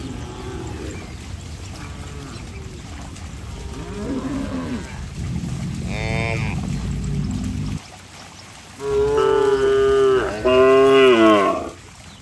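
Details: Cattle running about in mud; a brief moo around the middle, then two loud moos near the end, each under a second and rich in harmonics, preceded by muddled low sounds and splashing-like noise.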